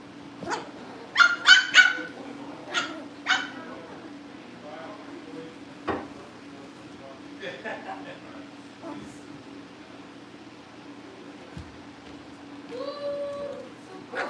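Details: Cavalier King Charles Spaniel puppies indoors at a breeder's family home, being readied for pick-up by new families: a quick burst of sharp, high yips early on, then a few scattered barks over a steady low hum, with soft whining near the end.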